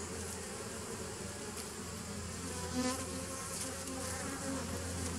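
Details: Short stretch of steady bee hum from 27 September 2018, a deep layered drone with a strong low tone and a faint swell near the middle.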